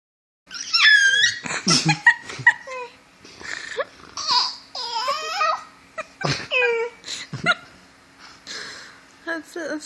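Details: Pet dog Frito trading high wavering whines and squeaky yips with a person's chatter and laughter indoors during a playful word game, the dog's bursts mixed tightly with human speech throughout.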